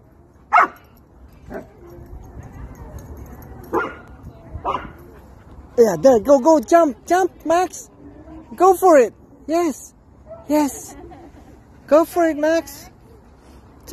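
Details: Happy German Shepherd meeting friends at a playground, giving a few scattered sharp calls, then rapid bursts of high, arching yelps and barks in quick clusters through the second half.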